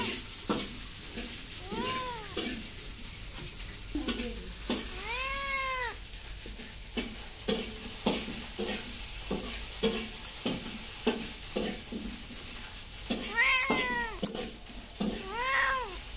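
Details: Cats meowing amid frequent clicking and clattering knocks, with arched, wavering meows heard several times, including a long one near the middle and a cluster toward the end.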